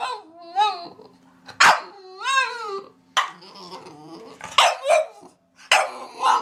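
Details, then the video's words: A dog mixes drawn-out, wavering whine-like howls with abrupt sharp barks, alternating tonal cries and harsh bursts over several seconds. "강아지 짖는 소리"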